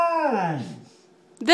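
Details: Basset Hound. A Basset Hound lets out a short, rich howl that starts high and drops smoothly into a low moan before fading. A person's voice briefly cuts in at the end.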